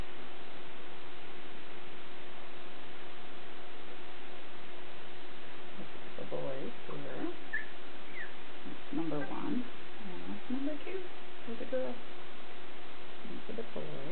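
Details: Border Collie puppies, nine days old, from a litter born March 3, 2016 at Wall 2 Wall Border Collies in Cartwright, Manitoba, filmed indoors on March 12; several soft, wavering whimpers and whines in bursts over a steady low hum, with some talking.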